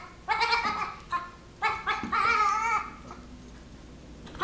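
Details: Six-week-old Nigerian Dwarf baby goat pestering a patient Yorkshire Terrier; a series of four nasal, wavering bleats, short ones first, then a longer quavering cry, ending with a faint clipped bleat.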